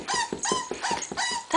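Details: Butterball, a puppy only seven weeks old, attempting to come downstairs: a rapid run of short, high whimpers, roughly four or five each second, continuing steadily through the stretch with little else heard.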